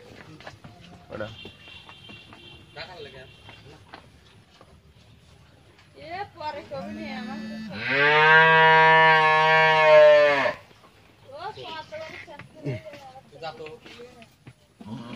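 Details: A 12-month-old Friesian heifer calf moos once in the middle, loud and drawn out for nearly three seconds. Quieter murmuring sounds come before and after it.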